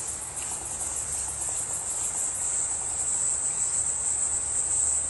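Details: Close-up of a cricket with a bright green belly giving a continuous, very high, thin, shrill trill that pulses slightly and holds steady in loudness throughout, over faint low background noise.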